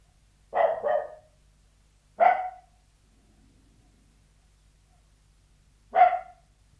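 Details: Barking of a Sealyham Terrier kept indoors behind a door, with a doubled bark, then a single, a pause of several seconds and one final bark.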